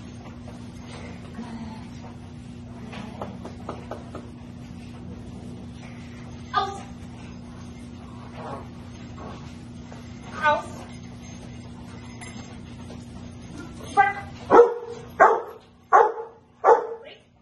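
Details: Rottweiler Anaconda v Schwarzerwald doing protection bite work with her owner in a basement on March 24, 2021; a quiet stretch of faint scattered noises gives way to a rapid burst of five loud, deep barks near the end, over a steady low hum.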